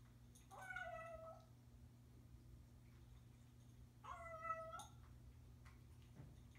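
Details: Samuel, a Bengal cat keeping his owner in the loop, gives two separate meows about three seconds apart, each short and slightly rising then falling, with quiet room hum and a few soft clicks between them.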